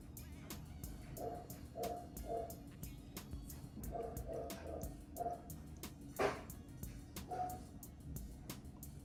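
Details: Neighbor's young German Shepherd barking from next door with nothing happening outside, perhaps at a falling leaf: a run of short, hollow barks, singly and in pairs, at a distance, over low background hum and sharp clicks.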